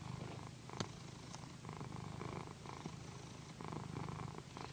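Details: Deep, continuous purring from Pandy, a female house cat, as she gets a massage on a satin pillow. The rumble pulses in breath cycles about a second apart, with gentle fabric rustling over it.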